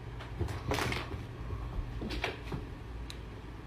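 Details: A cupboard or door bangs softly a few times over a low indoor hum, with no animal calling.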